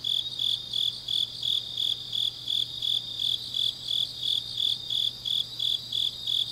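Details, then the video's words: High, evenly spaced chirps from grass insects in Changnyeong, Korea, late on an autumn night, repeating nearly three times per second above a continuous ringing trill and a faint low drone. "깊은밤 가을 풀벌레 소리"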